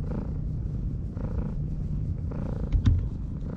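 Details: Stroked stray cat on a breakwater gives a low, pulsing purr in rhythmic waves, rising and falling about every second, with a short knock near the end.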